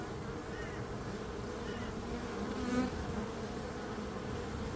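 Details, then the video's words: Bees buzzing as a steady, dense drone, low and even throughout, swelling slightly near the middle, offered as calming sound for sleep, focus and tinnitus relief. "Relaxing Calming Bees Sound"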